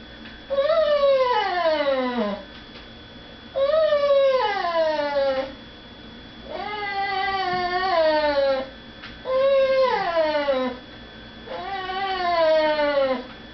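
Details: Indoor female dog crying to be let out to beg at the dinner table while people eat elsewhere; five repeated plaintive whines about every three seconds, each starting high and falling in pitch, with quiet gaps between.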